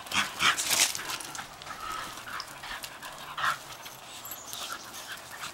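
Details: Female Shetland Sheepdogs rough-housing in a backyard on a blustery March morning; sharp, high yips and short barks burst out irregularly, loudest early on, over steady wind noise.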